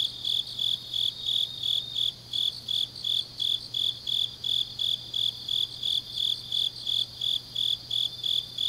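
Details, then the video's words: Grass insects calling through an autumn night in Changnyeong, Korea: continuous high, tinny chirps in a steady rhythm of about three per second, backed by a quiet low hum. "깊은밤 가을 풀벌레 소리"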